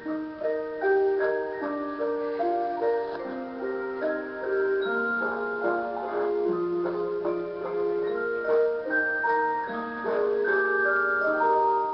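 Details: A tinkling music-box melody of bell-like notes plays steadily, with no animal voice audible.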